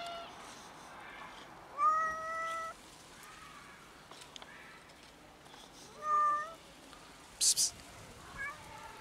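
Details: Scared black kitten in a tree calling with sparse, clear meows every couple of seconds, each steady and slightly descending at the end, with a brief sharp noise burst between calls.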